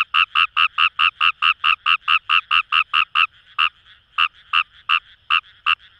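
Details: In rice paddies beside the Kamo River in Itoshima, Fukuoka, Japan, a Fejervarya kawamurai gives a rapid run of clipped, rasping croaks, then slows to scattered single notes while a soft chorus hums underneath.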